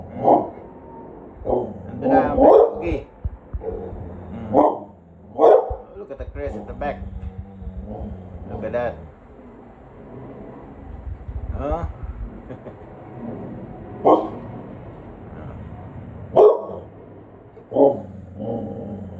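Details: Bonnie, a bulldog, barking indoors at someone passing by: loud, sharp barks in uneven bursts across the recording, separated by pauses, with people talking in between and around them.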